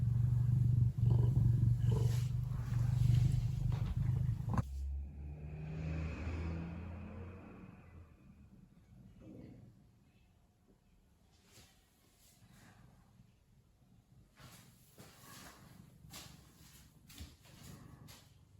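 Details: Ragdoll cat named Lily, a pet, purring while relaxed and content: a loud, steady, low rumbling drone close to the microphone for about five seconds, then a softer fading rumble with scattered rustling and handling noises.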